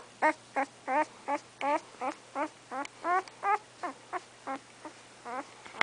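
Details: Three-week-old English Setter puppy Remington, eyes not yet open, makes a steady series of brief squeaky whimpers, roughly three per second, over a low constant hum.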